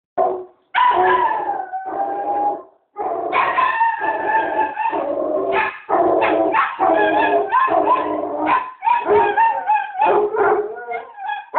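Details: Basset hound and chihuahua barking in a dense, almost unbroken run of loud, harmonic barks mixed with drawn-out, howl-like bays, pausing only briefly near the first and third seconds.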